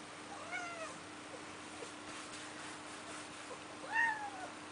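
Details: Domestic cat seeing snow for the first time, wanting to go outside with snow on its fur: two short meows, one soft and falling near the start, a louder bent meow near the end, quiet room between.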